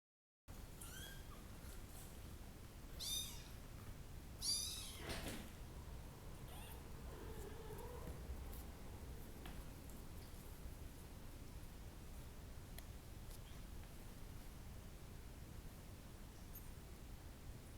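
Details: Brown and blue Bengal kittens: two high, thin meows rich in stacked overtones near three and four and a half seconds, a faint softer mew around seven seconds, then steady low background hiss.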